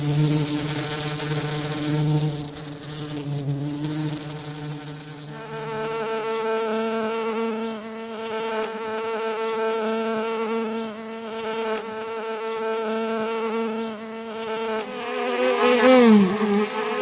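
A bee buzzes steadily, a low droning hum that shifts in pitch as it moves about.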